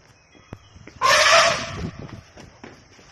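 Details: A wild lone tusker, an Asian elephant seen in the Nilambur area of Kerala, gives a single loud, brassy trumpet blast lasting about a second.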